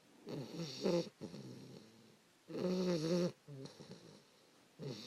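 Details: Snoring from Fannie, a 3-month-old English Bulldog puppy sleeping with her owner at about 5 in the morning: rough, buzzy inhalations with a tonal whine, in bursts about two seconds apart.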